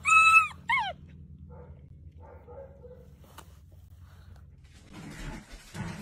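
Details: Dachshund whining twice in quick succession within the first second, high and wavering with rich overtones, followed by quiet low murmurs and a brief rustling burst near the end.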